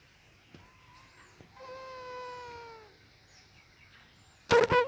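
A mosquito's high, reedy whine holds steady for about a second, sagging slightly in pitch as it passes. A fainter whine comes just before it, and a sudden loud slap ends the recording.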